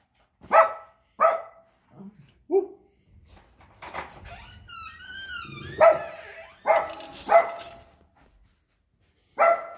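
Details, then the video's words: Chihuahua indoors barking at a disliked neighbour who came to the door to complain: sharp, high yaps in pairs and singles, with a doorbell-like chime and a person's voice between barks. "Chihuahua, Brown Dog, Doorbell"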